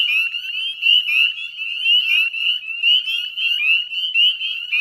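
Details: Wetland chorus of northern spring peepers, West Chezzetcook, Nova Scotia, Canada, mid-May 2020 at dusk: countless piercing, rising single-note peeps layered densely, about one pulse of loudness per second.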